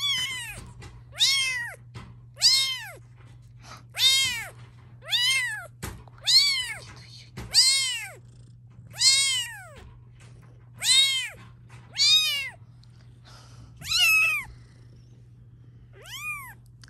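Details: Mother cat with her kittens at home, protesting while her babies are filmed. A steady series of loud, bent, wailing meows comes roughly every second and a quarter, about a dozen in all, with a low electrical hum beneath.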